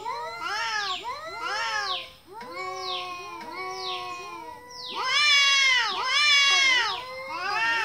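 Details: Cute kitten meowing: clear harmonic, arch-shaped mews about once a second, softer and spaced at first, then louder, denser overlapping cries after five seconds.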